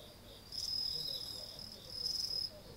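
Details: Insect chorus recorded at night in front of a house entrance on 30 August 2018, late summer turning toward autumn; two loud, sharp, high-pitched buzzing trills, each about a second long, rise above a faint continuous ringing hum.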